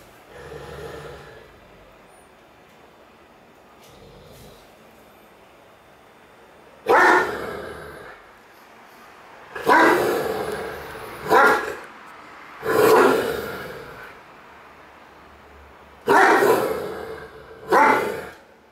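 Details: Great Dane named Cartier Bresson barking while playing in an apartment in Sao Paulo, August 2014: loud deep barks in clusters, often doubled, separated by quiet gaps of a few seconds.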